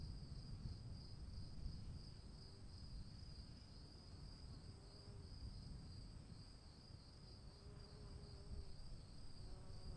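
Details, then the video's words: Continuous shrill cricket trill, gently pulsing in strength, heard during rainfall, with a thin higher tone held throughout. A dense rain wash below, and faint low tonal hums drift in near the end. "1 hour of cricket sounds in the rain"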